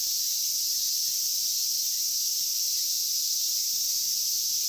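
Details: Continuous shrill cicada buzzing in Inagi Central Park, where the insects are being caught with bare hands. The hiss-like drone holds level and unbroken throughout.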